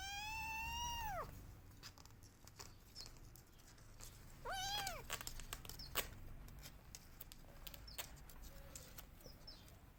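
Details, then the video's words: Kitten crying for its missing mother: a long, falling meow opens, then a shorter, sharper meow follows after a gap of several seconds filled with soft clicks, taps and low background rumble. "Cute Kittens Crying For Her Mother"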